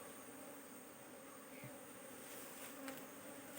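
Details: A beekeeper turns to the opposite side of a frame to look for queen cells. A continuous, steady hive drone of many honey bees comes with a few soft clicks and handling knocks.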